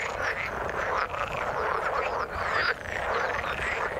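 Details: Frogs calling in the water form a dense, unbroken chorus of overlapping rasping croaks, with the texture dipping briefly near the one-second mark and again shortly after two and a half seconds.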